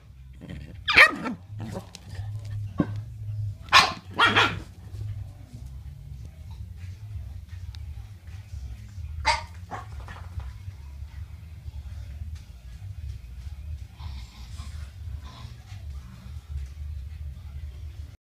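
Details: Boston Terrier; bark; play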